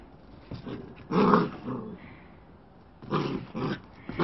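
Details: A black-and-white Bearded Collie puppy gives short, rough, low growls in separate bursts while bouncing around playing fetch with a ball.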